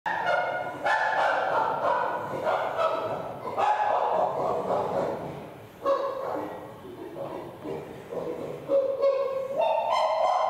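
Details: Flynn, a male chimpanzee sitting on a top bunk, pant-hooting in excitement while getting a kiss from Tuli: loud hoarse harmonic hoots and pants rising and falling in rapid bursts, about three per second, in an echoing indoor room.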